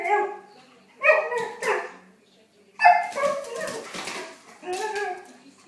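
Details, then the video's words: Siberian Husky making talkative, harmonic groans and whines in uneven bursts, with a noisy, breathy stretch in the middle. "bruit de husky sibérien"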